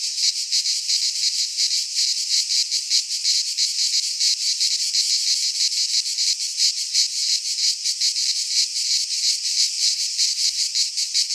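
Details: Cicadas of the Greek fauna singing in a midsummer pine forest, an intense high-pitched, pulsating drone that never pauses, uniform in volume across the whole stretch.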